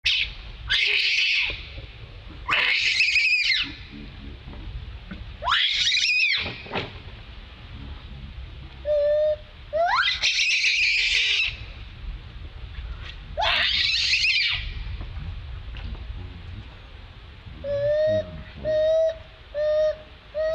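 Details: Monkey Jovi screaming very loudly, calling for help from monkey Joyce: five long, harsh, high-pitched scream bursts spaced two to three seconds apart, then a run of shorter squeaky, tonal calls near the end.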